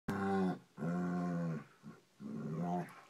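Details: Ginger Peach, a dog, growling during play with Magnum in a deep drawn-out voice likened to an elephant seal; three long harmonic-rich growls of about half a second to a second each, separated by short pauses.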